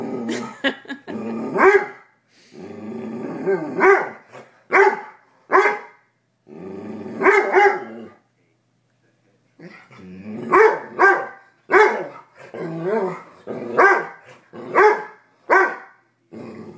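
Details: House dog freaking out over a raw chicken foot in the basement, growling and barking quite loudly; long series of sharp barks mixed with rough growls, a silent pause around eight seconds, then faster barking resumes.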